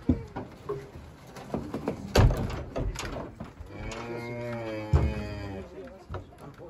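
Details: Simmental heifer bought at a livestock market, loaded onto a truck and unloaded to bring home: a single long, deep, harmonic moo lasting about a second, preceded by clattering knocks and bangs, with other sounds in the background.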